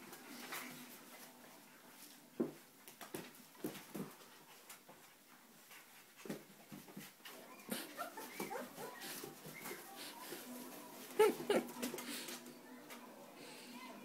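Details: Playful 3.5-week-old puppies romping indoors with their mother Hustle, giving scattered short whimpers and squeaky yips between soft thumps and scuffles, while a socialization recording of school kids playing runs underneath.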